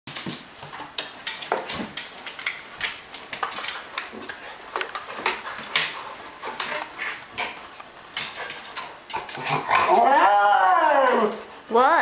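A Miniature Schnauzer gives a wavering, arching howl, calling for help to reach her toys.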